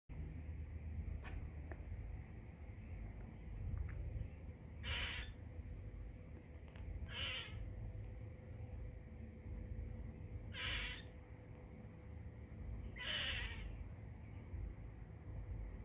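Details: Squirrel chirping: four short, harsh, noisy bursts spaced two to three seconds apart over a steady low rumble and background hiss, with a few faint clicks between them.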